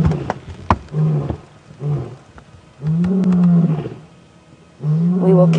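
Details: A male lion gives deep, moaning roars in a repeating series, each swelling and fading over about a second, with a longer, louder roar near the end, on a 4:30 PM safari drive on June 13, 2016, at Djuma.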